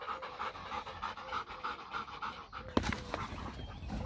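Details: A German Shepherd cross Labrador dog panting during playtime, rapid rhythmic breaths in a steady run of soft huffs, followed by a few sharp knocks and handling noises near the end.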